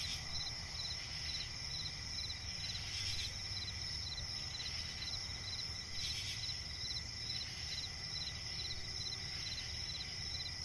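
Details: Crickets chirping in a swampy forest at night: short bursts of rapid pulses repeated over two a second, layered on a steady shrill trill and a low background rumble.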